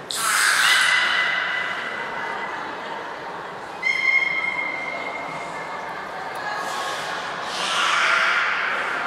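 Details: Nana the beluga during a training session at Port of Nagoya Public Aquarium on 13 April 2019, giving a raspy opening squawk, a thin steady whistle-like tone midway and a final hoarse call over a hissing indoor background.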